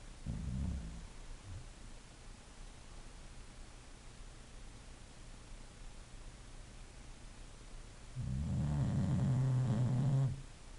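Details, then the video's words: English Bulldog asleep, giving a short low rumbling snore near the start, then quiet breathing for several seconds before a longer, louder, droning snore with a buzzy rattle lasting about two seconds. "a snoring bulldog"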